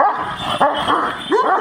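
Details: Giant Kangal dogs, described as aggressive, barking at each other: three short, harmonic, yelping barks with rising and falling tones in quick succession over a steady background hum.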